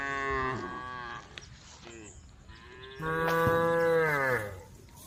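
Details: Cattle herd on the road calling: a falling moo at the start, then quiet murmuring, then a louder, drawn-out bellow that slides down in pitch, at a moderate distance.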